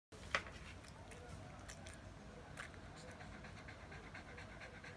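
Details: A Shih Tzu, hot after a walk and refusing to leave the shade, pants in quick, breathy huffs under the air conditioner's airflow, a steady fan-like hiss.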